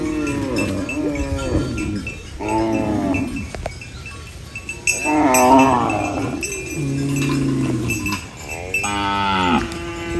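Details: Cows eating banana leaves on a rural farm, mooing in long harmonic calls, several drawn-out moos rising and falling across the recording, with a steady hum of background noise.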